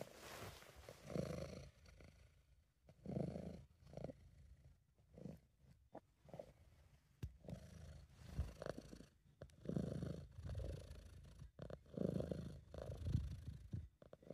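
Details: A British Shorthair cat purring, a sound made when relaxed or happy, in an amateur home recording: soft, low rumbling bursts that rise and fall irregularly with breathing, fading between breaths, with faint room hiss.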